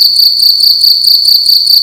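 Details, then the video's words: Short burst of a cricket's loud indoor night chirping, a shrill high ringing tone pulsing about four times in under two seconds. "Cricket making loud sounds at night in a room"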